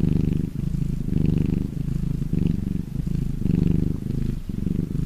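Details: Contented domestic cat purr, low and vibrating, pulsing in alternating inhale and exhale phases about every second, around five cycles in a steady rhythm.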